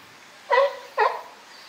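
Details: California sea lion from the group at Higashiyama Zoo and Botanical Garden, 12 September 2023; two short, rich harmonic barks about half a second apart over quiet background.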